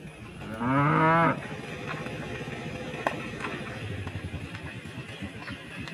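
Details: A tame cow, one of a large village herd feeding on straw in harvested rice fields and calling to one another, gives a loud, harmonic moo lasting about a second, rising then holding steady.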